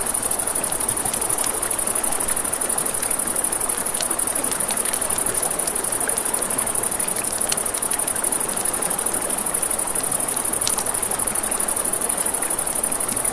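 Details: Crickets trilling continuously at night near a river, a high, even, shimmering buzz, accompanied by steady water noise and frequent small crackles and snaps from a campfire.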